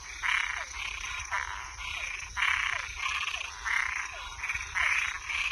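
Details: Frogs and tree frogs calling at night: broad raspy croaks around the upper-middle range, each lasting about half a second, repeated roughly once a second, with short downward chirps between them and a steady high insect-like hiss behind.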